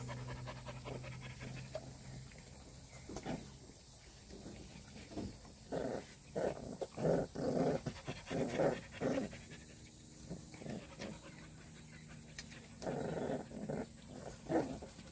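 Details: Purebred black Jindo dog panting in uneven bursts of quick, breathy huffs, loudest in the middle stretch and again near the end, over a steady low hum.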